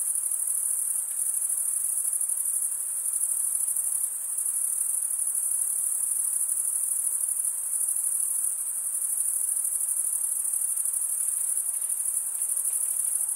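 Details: Male crickets stridulating produce a sustained, very high buzzing trill, rapidly pulsed and steady in volume from start to finish, over a low hiss, with no other animals or voices present.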